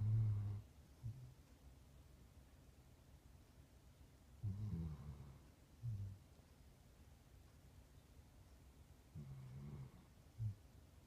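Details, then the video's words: Ozzy, a puppy asleep on a couch, snoring in low rumbling bursts: a long snore at the start, then separate snores near four and a half, six, nine and ten seconds with quiet pauses in between. "Ozzy snoring"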